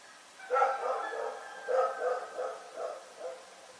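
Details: Night barking from Rex the dog at Pyrga, a run of five or six hoarse, uneven barks packed into under three seconds, some doubled, with a reverberant tail.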